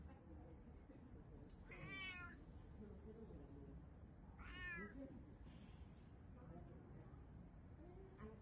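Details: Cat cafe cats meowing twice, each call a bright harmonic cry with a slight rise and fall, about three seconds apart, against low indoor hum and faint voices.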